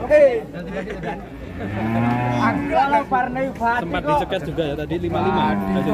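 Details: Limousin cattle moo in low, steady drones, one longer bellow near the middle, while people talk loudly over and between the calls.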